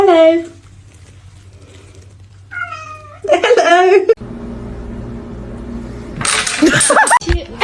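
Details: A domestic cat meows in a funny cat compilation: a short falling meow, then a pause, then a rising, wavering meow running into a longer, louder drawn-out cry. A burst of rustling noise and human voices follow.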